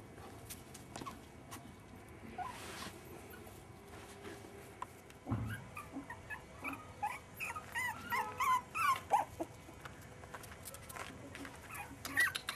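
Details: Five-and-a-half-week-old Jack Russell Terrier pups making a run of rapid, high, repeated yips and whiny whimpers, building in the second half, over a low background rumble.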